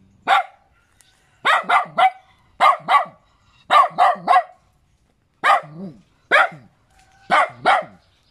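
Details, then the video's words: Barks from a small pet dog come singly or in quick twos and threes, separated by short silences, each bark crisp and mid-pitched with a downward slide; no other clear sounds. "เสียงหมาเห่า หมาน้อยน่ารัก เห่าดีจัง"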